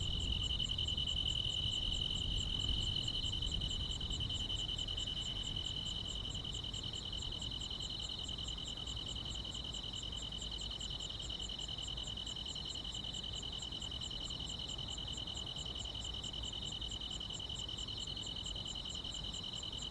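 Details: Summer-night grass insects fill the air with a loud, continuous ringing trill, topped by a rapid, very regular stream of tiny high ticks, about three or four per second, with no other voices.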